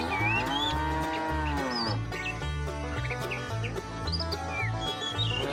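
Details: A herd of tame cows starting a long journey to fresh pasture: a single quieter, sustained moo opens, then background music continues with frequent high bird twitters.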